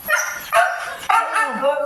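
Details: Siberian Husky giving three short, harmonic, voice-like calls in quick succession, each opening with a sharp onset and sliding slightly in pitch, about half a second apart, with no other clear sounds.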